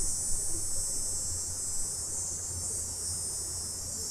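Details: Stereo recording of summer cicadas after dark: an even, high, sizzling buzz that never pauses, backed by a soft low hum.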